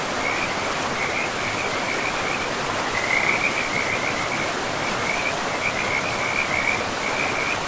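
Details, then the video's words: Frog chorus by a river in an untouched forest with moss-covered ground: broken strings of fast rattling notes at a fixed pitch, pausing briefly and resuming, over a loud even wash of running water. "River and Frogs sleep sounds"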